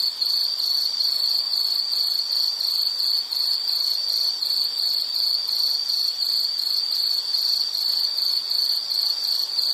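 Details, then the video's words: Insect chorus offered as calming nature sound for study or sleep: a steady high-pitched pulsing trill, rapid chirps repeated about two to three per second without pause, faint higher harmonics above, no other sounds. "Nature Sound of nature sounds scenery L · insect"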